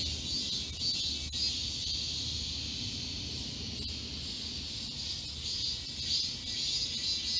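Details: Summer cicada chorus in a forest of Galsan Park, Mokdong, Seoul. Continuous shrill droning with soft waves of loudness every half second or so, and faint low-pitched background rumble beneath.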